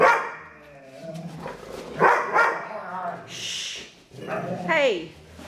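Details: Two foster dogs, Maddie and Stella, playing together; the bigger one, Stella, makes strange noises while playing. Harmonic whining, groaning vocal bursts and short yips come in irregular bursts, with a person speaking in the background.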